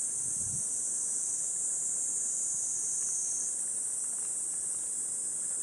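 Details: Summer cicadas in Gifu Prefecture Hyakunen Park, Japan, on a hot 37°C morning walk, 23 July 2026: an unbroken, shrill, high-pitched buzzing that holds level throughout, with one faint footstep at the start.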